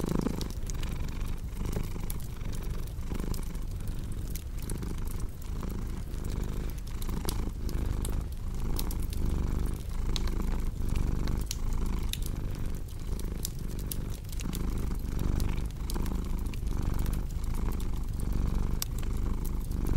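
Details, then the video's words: Continuous low purring from a cat, rising and falling with each breath roughly every second, overlaid by a steady patter of crackling fireplace snaps. "Purring Cat"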